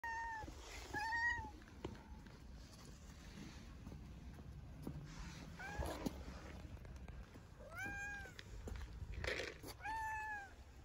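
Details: Tabby street cat in Istanbul meowing loudly as if hungry: about five harmonic, arched meows, each under a second, spaced irregularly across the recording, over a low outdoor rumble of background noise.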